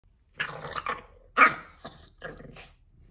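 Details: Chihuahua indoors defending a cat condo; three short bursts of harsh growling yaps, the middle one loudest, separated by about a second of quiet.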